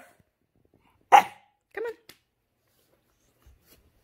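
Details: A fussy 5-month-old English Bulldog puppy, just finished a bath and vocal, gives two short, rough yelping barks, the second lower and more drawn out.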